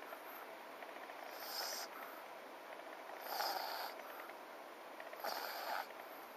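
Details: FICA, a French Bulldog, snoring in its sleep; three longer rasping snore bursts spaced about two seconds apart, each with a hissing whistle, between soft breathing.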